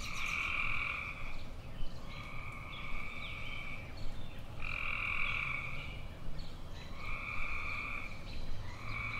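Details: Tree frog giving drawn-out, nasal, buzzy croaks, each about a second long, repeated every two to three seconds in a steady series over a low background hiss.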